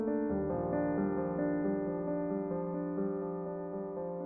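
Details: Gentle piano or keyboard music playing steady chords and notes, with no animal sounds.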